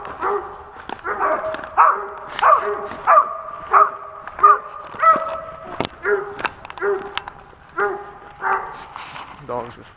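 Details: Squirrel-hunting dog in Pennsylvania giving a series of barks and drawn-out bays, about one every half second at first, then sparser, with faint clicks and human noise between.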